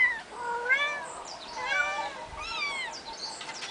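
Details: Eight-week-old kittens, three of them, on a finca on 11 May 2011, meowing: several high, harmonic mews with arching pitch, about three calls spread across the moment, overlapping voices at times.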